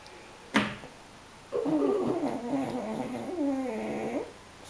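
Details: Snoring from a napping French Bulldog or Pug, two dogs dozing together: a click, then one long, wavering, nasal tonal rasp lasting nearly three seconds with a fluttering pitch.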